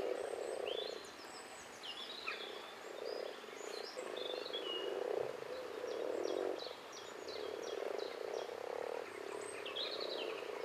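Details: Rana temporaria, the common frog, in a dense chorus: low rolling grunts rise and fall in bursts of about a second, with bird song and sharp chirps ringing higher up.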